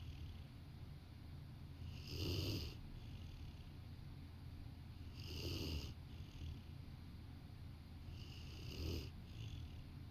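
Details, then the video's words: Rottweiler dozing on a sofa beside a person at work, snoring in low rumbling breaths that swell roughly every three seconds, each with a soft hissy edge, over a quiet indoor background. "Rottweiler taking a nap while snoring"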